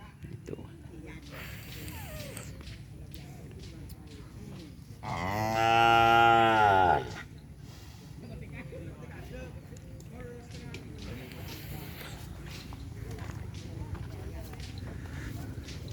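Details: Cattle at a Kerapan Sapi bull race event at Asemanis during Idul Adha, one long harmonic moo lasting about two seconds midway, with background chatter and faint music around it.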